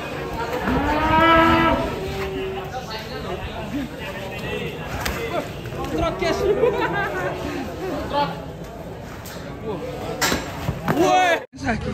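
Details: A cow that slipped and broke its leg moos in long, rising harmonic calls early on, followed by lively chatter and shouting from a crowd of people. There are brief squeaky sounds near the end.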